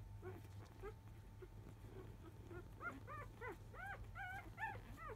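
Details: Newborn field-type Labrador Retriever puppies, four days old, napping, the litter of biscuit, a 2017 JFA grand champion: a rapid run of high, arched whimpering whines, each bending up and then down, growing louder toward the end over a steady low hum.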